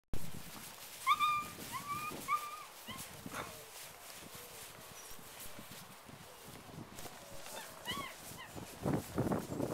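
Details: German Shepherd from Misty Ridge German Shepherds giving a few short, high, thin whines in quick clusters early on, a couple more near the end, over quiet outdoor background rustle and low noise.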